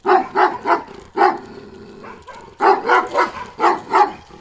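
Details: Kangal dog Balyoz, a 15-month-old male with a dark grizzled karakırçıl coat, maturing into adulthood, gives a fast series of deep, full barks in quick bursts of three or four, with short pauses between groups.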